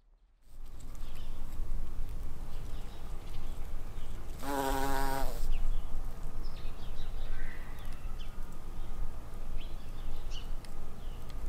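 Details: Buff-tailed bumblebee queen in spring, foraging for nectar and pollen: a brief, steady, rich buzz lasting about a second, rising out of a rumbling low background, with faint bird chirps in the distance.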